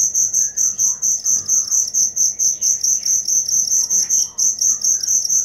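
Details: Cricket giving shrill, evenly spaced chirps about twice a second, with faint bird-like chirps and twitters sounding softly in the background.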